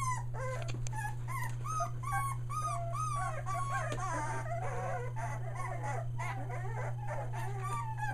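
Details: Several three-week-old Aussie puppies near Mooresville, NC, newly vocal, crying in a dense overlapping chorus of high, arching whimpers and squeaky whines that rise and fall in quick succession, with a constant low hum beneath.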